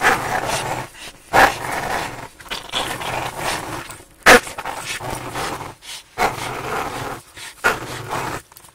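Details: A four-year-old Staffordshire Bull Terrier romps with a five-month-old American Staffordshire Terrier, producing rough, breathy growls and snorting bursts in irregular spurts, broken by short quiet gaps and a few sharper yelps.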